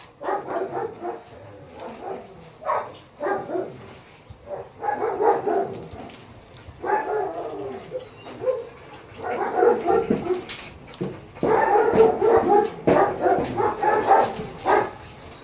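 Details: Japanese Akita at a dog photo shoot in Baguio City, October 21, 2023: a long run of irregular, mid-pitched barks and yips, several every second, growing louder and denser toward the end.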